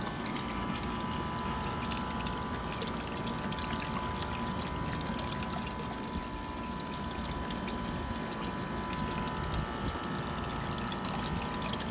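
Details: Water pours and trickles steadily, with a faint constant hum in the background and no animal voices.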